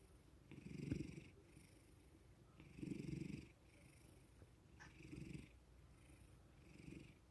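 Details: Domestic cat, a male, purrs while being petted after being suddenly woken; four low vibrating surges roughly two seconds apart, breathy rasps in the gaps, a small room setting.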